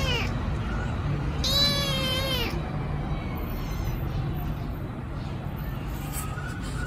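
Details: Hungry rescued kitten meowing loudly while waiting to be fed: one clear drawn-out harmonic meow, bending up then down, followed by quieter faint mews, with a constant low hum underneath.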